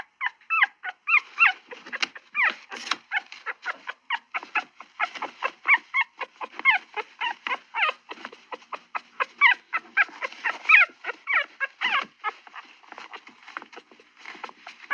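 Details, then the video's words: Dog producing a fast, continuous stream of short, high yips and squeaky whines, several per second, varying slightly in pitch and loudness throughout. "Звуки собаки"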